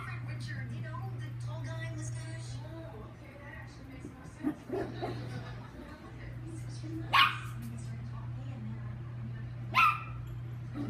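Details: Chihuahua named Lucky during playtime; a woman talks for the first seconds, then two short, shrill barks ring out roughly two and a half seconds apart over a constant low hum.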